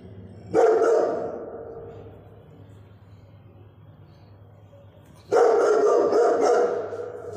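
Two heavy barks from a Rottweiler, the first short and the second longer and rougher, separated by a quiet gap of about four seconds. A faint low hum runs underneath.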